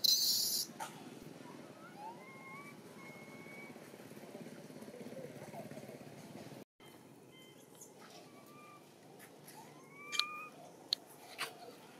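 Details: A hungry baby monkey named Dito in Siem Reap Province, impatient for milk, gives soft whistle-like cries, level or slightly rising, a few seconds apart, after a brief loud rustling burst at the start.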